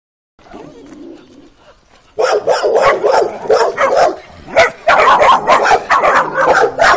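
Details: Working-type Kuvasz puppies, 12 weeks old, on their first street walk in April 2017; after a quiet opening with a low murmur, rapid high-pitched yapping barks burst in and continue in irregular, overlapping volleys.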